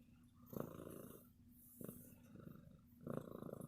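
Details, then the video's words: Affectionate domestic cat purring loudly: rough, rapidly pulsed rumble in breath-length bursts, each swelling for about half a second to a second, over a steady low electrical-sounding hum indoors. "CAT PURRS LOUD"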